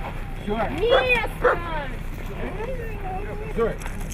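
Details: Siberian Husky producing drawn-out, bending moans that rise then slide down, with a couple of sharper yelps, interleaved with a person talking over low background rumble.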